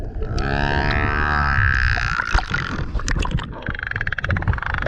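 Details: Male humpback whale singing loudly near a kayak: a low harmonic moan sliding into higher whistled squeals, then crackling clicks and splashy noise toward the end.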